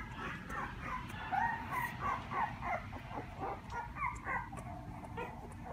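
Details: Puppy recorded on 1 November giving rapid, high, squeaky yips and whines, about three per second in uneven bursts, with some pitch bends, over a constant low background rumble.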